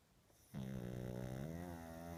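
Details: A sleeping pug, older and sleeping a lot lately, snores loudly with a human-like snore: after half a second of near silence, a steady, droning, buzzy tone begins and holds without a break for under two seconds indoors.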